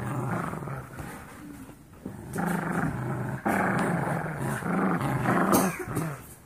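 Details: Golden Retriever mix foster puppies, 17 weeks old, play-wrestling, snarling and growling in loud, throaty, gravelly bursts that rise and fall every second or so, with some sharper yelping snarls near the end.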